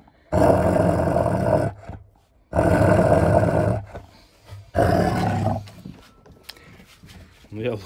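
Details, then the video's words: German Shepherd Nika, six years old and in estrus, guarding bones with food aggression while Malinois Linda eats nearby: three loud, harsh snarling growls, each about one and a half seconds long, separated by brief pauses. "Unexpected food aggression in my dog. German Shepherd Nika and Malinois Linda eat bones."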